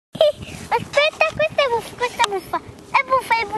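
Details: Thirty-day-old Vizsla puppies from the litter of Dea Kalì and Fiuto give a rapid run of short, high squeaky whimpers, each bending up then down, many overlapping calls back to back, with a few soft background voices.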